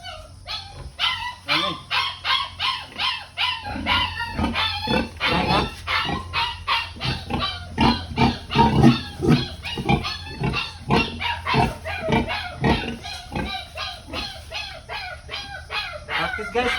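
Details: Sow on a farm during artificial insemination with Pietrain-Duroc semen, giving short rhythmic grunts roughly twice a second throughout, with background music and people talking.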